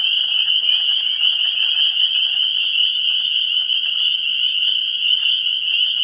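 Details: Chorus of frogs at a vernal pool in early spring, recorded 17 March 2016, many callers overlapping into a continuous piercing high-pitched drone with fine rapid pulsing and softer lower trills underneath.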